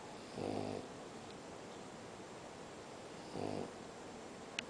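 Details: A French Bulldog snores in two slow, rumbling breaths about three seconds apart while sleeping in its bed in an air-conditioned room.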